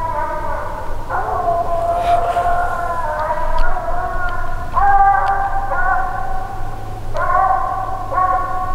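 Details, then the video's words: Six-month-old Phrogger hound pup treeing at night on its fourth outing: a series of long, ringing bawls, each new cry breaking in every second or so, with faint clicks and a constant low hum behind. "Loudest Pup I’ve ever heard. 6 month old Phrogger Pup coming treed . 4th night out."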